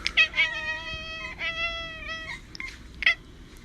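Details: Cat meowing indoors: several drawn-out, high harmonic meows with slight wavering pitch, separated by short gaps, plus a couple of brief chirpy calls at the end.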